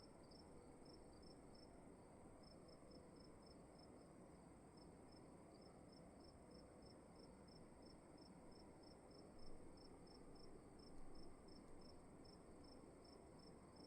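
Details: Crickets in a room at night keep up a regular train of short, high chirps, a few quick ones at the start, then evenly spaced, while a low steady hum fills the background and two soft thumps occur near the end.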